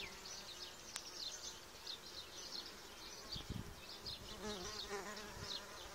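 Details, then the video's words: Harmless solitary bees buzzing in spring, pollinators of gardens and orchards: a dense, even, high-pitched hum of overlapping wingbeat pulses, a single sharp click near the start and one brief low thump midway. "Solitary bees"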